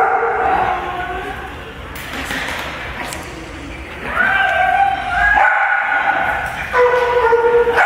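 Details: Puppies at play in daycare, a group getting used to other dogs and people; quieter scuffling at first, then rising whines and bright yelping cries that swell in the second half.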